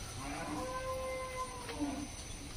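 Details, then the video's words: Cattle, cows and calves calling in a village in Nabarangpur, Odisha: a steady, drawn-out moo holding an even tone with stacked harmonics for about a second, with faint background hiss. "গরু বাছুর ওদিকে ডাকাডাকি করছে।"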